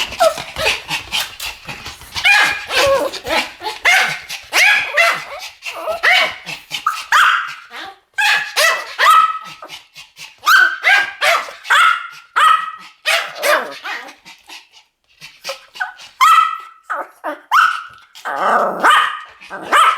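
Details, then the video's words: Pomeranians barking in a duet: sharp, high-pitched yaps tumbling over one another almost without pause for twenty seconds, some barks ending in a clearer ringing yelp, the pace loosening slightly toward the end. "ポメラニアン Pomeranian デュエット吠え 1000回 犬の鳴き声"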